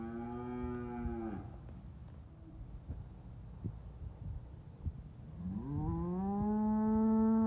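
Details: Red Angus bull lowing: a strong harmonic moo fading after about a second, a quiet gap with faint knocks, then a second loud moo rising in pitch and held to the end.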